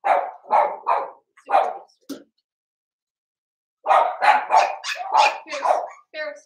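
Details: Blenheim Cavalier King Charles Spaniel puppies in an indoor puppy pen. Four quick barks come first, then a long silence, then a fast run of about seven excited yaps, ending in a faint whimper.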